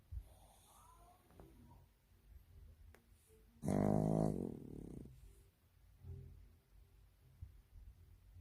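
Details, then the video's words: Sleeping pug snoring indoors: one loud, rasping, vibrating snore of about a second and a half rises out of quiet breathing, followed by softer, faint breaths in a small, still room. "퍼그 코골이"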